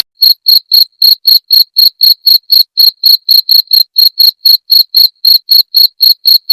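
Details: Shrill, even chirping of a cricket, each pulse short and tonal, repeating about four times per second without pause, in a clean recording meant to keep rats away.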